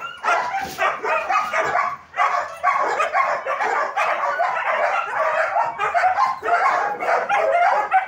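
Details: Many German Shepherds in a training academy setting bark at once, a continuous wall of harsh, overlapping barks that dips only briefly near the two-second mark before surging again.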